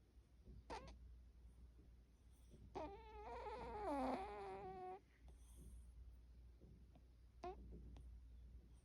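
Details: Snoring cat with a peculiar, quirky snore: brief soft snorts, then a two-second whistling, wavering tonal snore with rich harmonics, followed by quieter snuffles over a steady low indoor hum.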